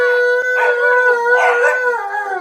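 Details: Siberian Husky and Alaskan Malamute. Two northern-breed dogs, a husky and a malamute, howl in a sustained, level, harmonic tone that sags slightly at the end. Grumbling, vocal bursts from the second dog rise and fall over the held note.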